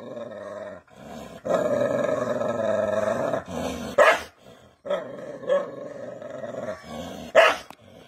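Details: Aggressive Rajapalayam dogs from South India, a pack-hunting breed that guards fields from wild animals. A long, steady, throaty growl holds for several seconds, broken by two sudden loud barks, one near four seconds and one near seven.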